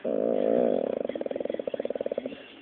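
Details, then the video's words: Pit Bull Dropsik answers a scolding with a brief moaning tone that breaks into a fast stuttering rattle of around twenty quick pulses over two seconds. "mówiący pies Dropsik funny talking dog pitbull"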